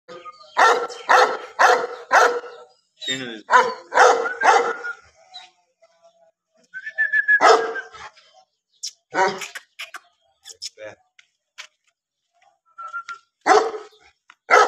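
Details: Bully dogs barking: loud, short, harmonic barks in uneven bursts, several in quick runs of three or four, separated by quiet gaps, with a few higher squeaky notes between.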